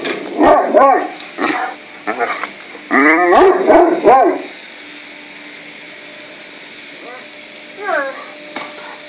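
A Great Dane gives bursts of high, whining yips that bend up and down in pitch.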